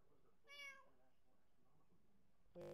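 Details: Black cat giving a single short, clear meow, tonal and slightly falling, followed by quiet room noise and a loud abrupt harsh sound at the very end.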